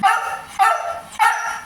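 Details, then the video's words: Three bursts of husky vocalising, spaced roughly every 0.6 seconds. Each is a bright, harmonic yelp-like call that starts loud and fades, with the breed stated as Siberian Husky. "MAVIZ BUNGANGERANG HUSKY"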